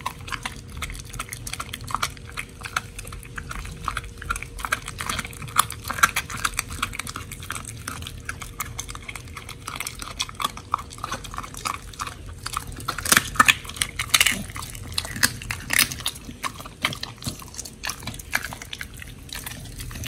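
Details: Raw-fed pit bulls Oli and Nommy chewing a giant white snapper combo: continuous moist crunches and snaps come thick and fast throughout, with a low constant electrical hum in the background.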